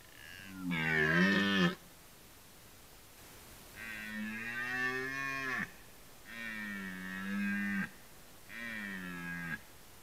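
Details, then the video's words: Red deer in rut producing four hoarse, resonant roars at roughly two-second intervals. The opening roar is loudest and the rest are slightly softer, with near silence between calls. "Rykowisko / Deer rut"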